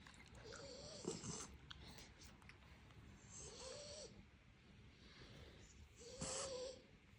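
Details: Sleeping puppies snoring: three wheezy, breathy snores, each carrying a thin whistling tone, come roughly every two and a half seconds, with soft rasping breath noise between them.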